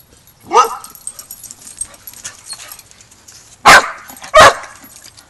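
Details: Border Collie pack at a boot camp as the young pup Rammstein learns pack etiquette; a rising whine-like yelp, then two loud, abrupt barks close together near the end.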